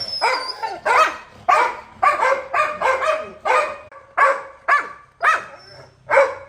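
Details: Domestic Labrador Retriever barking in a home setting: about a dozen hoarse, broadband barks in uneven bursts over six seconds, some doubled in quick pairs, with short quiet gaps between.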